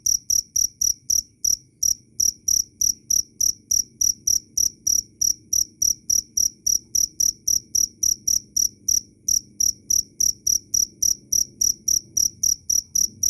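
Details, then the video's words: A cricket calls loud and clear in a high, shrill chirp train, about three to four pulses a second, with brief hitches near the start and middle; used as songbird master sound. "Suara asli jangkrik Keras dan jernih"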